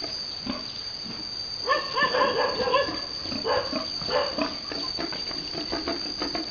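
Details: Pigs on a Vietnamese farm during breeding, a boar mounting a virgin sow. Two loud bursts of quick, pulsing, harmonic grunts, each lasting about a second, stand out over soft background talk.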